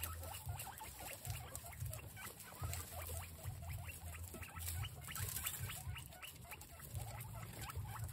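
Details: Guinea pigs given capsicum produce dense bursts of brief high chirping squeaks, overlapping and uneven, above a constant low hum with light rustling.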